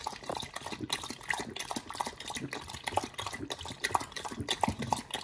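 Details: Pit Bull eating a raw food combo of New Zealand green-lipped mussels and beef, with wet smacking and squelching chews repeating about once a second, interspersed with soft clicks.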